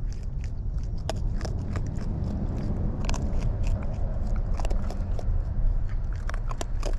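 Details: Eating wild raccoons recorded up close: steady crunching and snapping bites over a loud, deep rumbling background.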